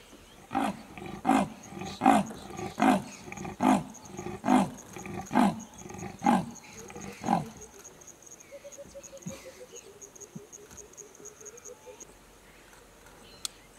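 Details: Wild adult female leopard in her prime, 2018 season, calling for a mate and then pausing to listen for a suitor: nine deep, rasping sawing barks about every three-quarters of a second, followed by quiet with faint background sounds.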